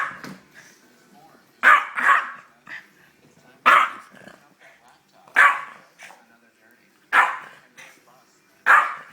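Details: A 13-year-old Yorkshire Terrier gives sharp, snorting sneezes about every two seconds while a person talks, playfully facing a pit bull.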